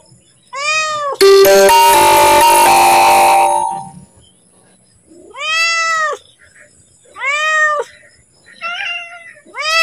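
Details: Domestic cat calling and asking to be fed as feeding time nears: short, arched meows repeated every one to two seconds, with a loud clattering, ringing burst of noise lasting a few seconds early on.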